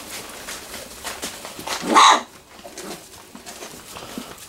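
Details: Three-week-old Wirehaired Pointing Griffon puppies playing in a whelping box in a garage; one short, sharp yip or bark bursts out midway over soft background rustling.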